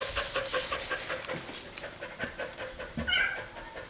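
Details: Pet dog panting fast after a run in summer heat, recorded 21.4.2016: quick breathy pulses, loudest at the start and then softer, with a brief high tonal chirp near the end.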